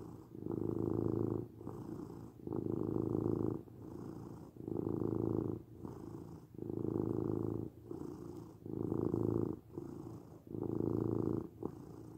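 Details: Domestic cat purring steadily, a low rumbling throb in long even bursts about every second, alternating louder and softer phases as with breathing in and out; quiet indoor background.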